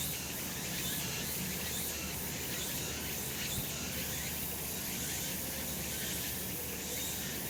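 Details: Sunlit summer mountainside alive with cicadas: an unbroken shimmering drone of high insect noise, with slight pulsing at the very top and a soft low rumble below.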